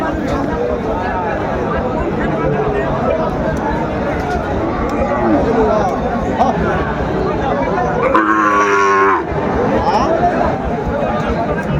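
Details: Sahiwal bull calves at Raniganj cattle market in Shariatpur, Bangladesh, on 20 February 2025: one short harmonic moo around the eighth second, over dense crowd chatter, voices and market noise.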